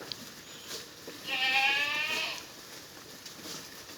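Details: Black Bengal goat on a mother-goat farm in Pangsha, Rajbari District, standing out in hot sun at feeding; one wavering, nasal bleat lasting about a second, rich in trembling overtones, over faint background hiss.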